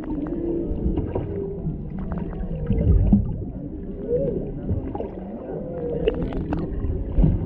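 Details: Humpbacks singing underwater off Maui, Hawaii, mother and calf close to a boat, male in the background, GoPro Hero 7 Black: curving, rising and falling low moans repeated through the stretch, with crackles and deep water rumble beneath.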